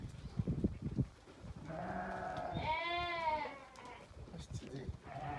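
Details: A Damani ewe, among eleven offered for sale, lets out a strong wavering bleat around three seconds after a lower nasal call, with human voices and rustling in the background.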